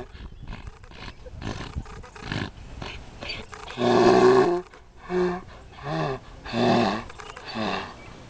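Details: Donkey in a field next to a fishing spot in Cherokee, North Carolina, braying as it does whenever someone approaches the fence. Loud, harsh, rasping blasts are repeated about once a second, after softer scattered noises at the start.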